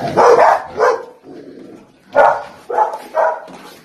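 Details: Golden Retriever barking: two loud, rough barks, a brief lull with low muffled sounds, then three more sharp mid-pitched barks in quick succession, each clipped and forceful.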